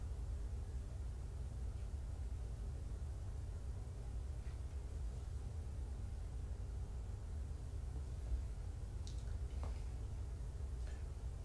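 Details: Low steady indoor hum with a few faint clicks and no animal voices.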